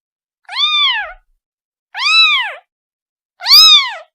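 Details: Three drawn-out, arching meows from a kitten calling its mother, evenly spaced about a second and a half apart, the last one loudest; no other sounds.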